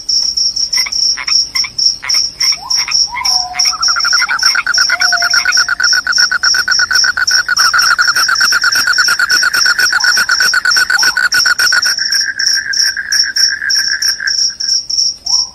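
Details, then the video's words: Shrill cricket, said to scare away rats and make listeners drowsy, trilling in rapid high pulses throughout while a strong lower buzzing, rattling call runs underneath for most of the recording. "SUARA JANGKRIK PENGUSIR TIKUS, JANGKRIK JANGKRIK SUARA NYARING BIKIN NGANTUK"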